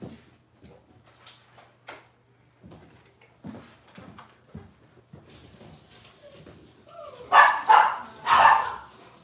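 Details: Robin's litter of Cavalier King Charles Spaniel puppies, filmed indoors on a kitchen camera: soft scattered whimpers and yaps build into three loud, rough barks in quick succession at the close.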